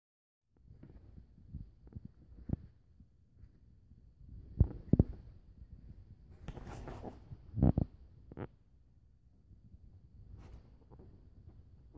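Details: Soft thuds, scuffles and low rumbling handling noises fill a quiet indoor space, with no animal voice heard.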